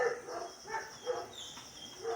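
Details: Puppies kept for sale in India give short, high yips, about four thin harmonic bursts spaced roughly half a second apart. The calls are faint against a steady background hiss.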